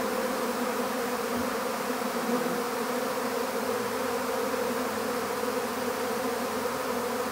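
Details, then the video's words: Many honeybees of a swarm being captured in an empty hive hum together in a steady, droning buzz with a faint low rumble underneath. "How to Capture a Honeybee Swarm"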